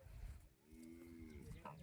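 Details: Umbalachery cattle held in a pen while being roped, tied with a rope to a tree. A faint, low, steady moo lasts under a second amid background rustling and distant voices.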